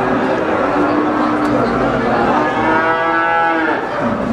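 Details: Brahman breeding cow lowing at the Sumberlawang cattle market, Sragen, 2018: a long harmonic moo that swells and rises near the end, over constant market chatter and bustle.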